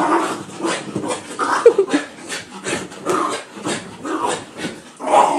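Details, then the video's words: Two pet dogs in a wild, playful burst right after being bathed; rough, breathy growls and snorting huffs come in irregular bursts throughout, with scuffling movement noise in between. "After bath craziness"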